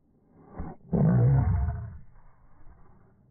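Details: Boston Terriers fighting over a ball: a short snort-like huff, a tiny pause, then a sustained throaty growl, deep and gravelly, trailing off after roughly a second into quiet breathing.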